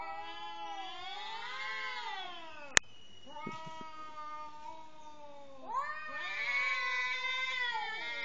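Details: Cat yowling angrily at a partner before mating; two long, drawn-out wavering yowls rich in overtones, rising and falling in pitch, separated by a sharp click and a brief pause.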